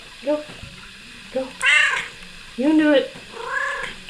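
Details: Kiki, a female pet cat perched on a person's shoulders, lets out several meows in quick succession, two strong harmonic ones rising then falling, amid softer short calls and a person talking to her.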